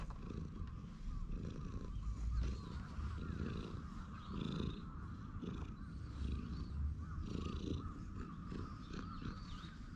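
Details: Stray cat on a park bench, stroked while grooming in a bold pose, filmed on a GoPro HERO8: low, steady purring rumble with recurring pulses, mixed with handling and fur-rubbing noise close to the camera.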